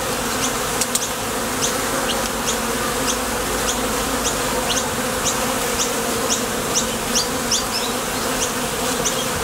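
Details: Honey bees at the entrance of a Top Bar Hive, coming and going to forage for nectar, their thoracic flight muscles giving a dense, steady layered hum, with short high chirps flicking above it throughout.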